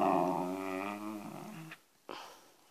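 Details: Wire fox terrier indoors giving a low, rumbling growl-whine that is steady for under two seconds, then breaks off into a short pause and a faint scuff, while a woman's Romanian voice sounds nearby.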